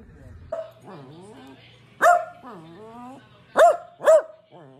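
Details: Dachshund, a wiener dog, indoors; drawn-out, wavering whines rise and fall, then sharp, loud barks come at about two seconds and twice more near the end, with a low hum behind.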